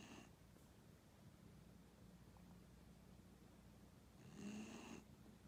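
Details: Snoring from an old 15-year-old dog: a brief snore at the start, then a stretch of quiet low hum, then one longer buzzing, nasal snore near the end.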